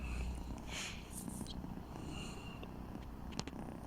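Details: Persik, a fluffy red cat, settling down to sleep under a pillow, purring softly; a low steady rumble with faint rustling above it.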